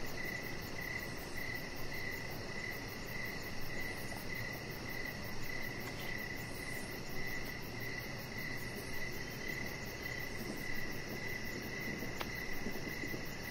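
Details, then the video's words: Evening cricket chorus near a deck, with steady high chirps pulsing around twice a second, a faint hiss above, a low rumble beneath and a brief click late on. "Cricket Sounds"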